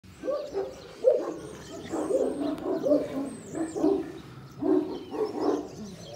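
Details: Kangal dogs at a breeding farm bark in deep, rough bursts, several barks running together in clusters through the whole stretch with short pauses between groups; faint high bird chirps sit in the background.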